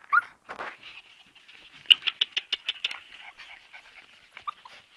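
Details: Several Siberian Husky puppies letting out high, thin whimpers and squeaks, with a loud yelp at the start and a quick burst of clustered squeals midway, then quieter whining.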